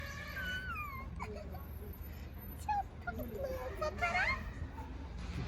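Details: Street cat standing on a car during a long self-grooming session, making strange noises: drawn-out, wavering, falling cries in the first second, softer broken calls after, then a rising-falling cry near four seconds over a low background rumble.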